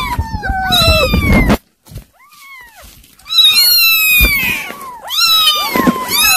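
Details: Kittens at their weaning food cry in a dense, overlapping chorus of meows, with sliding high cries, a short silence after the first second, then more insistent calling.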